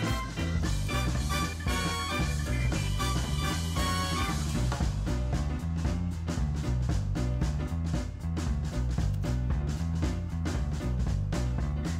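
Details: Loud, steady swing-style music with bass, horns and a driving beat fills the whole stretch; no animal sounds are heard.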